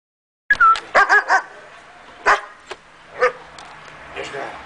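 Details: A five-month-old German Shepherd gives a high whine, then short yipping barks, with a person talking.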